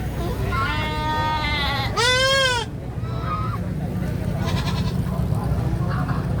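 A goat gives a drawn-out bleat, then a loud, wavering, human-like scream over a low rumble.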